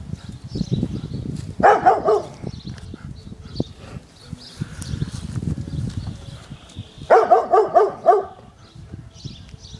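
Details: Izzie, a pet dog, barks at balloons on a garden fence: two short bursts of four or five quick, sharp barks, separated by several seconds of low rumbling noise and birdsong in the background.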